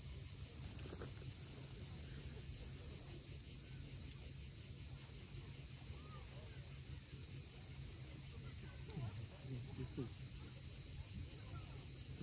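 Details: A constant high-pitched cicada drone carries through a Crimean sunset at Cape Fiolent, over low, steady surf noise and a few faint, scattered bird notes.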